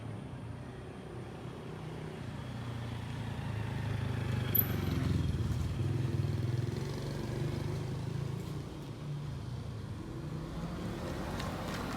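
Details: Low rumbling road traffic and passing motorcycles on an outdoor street, with no animal calls.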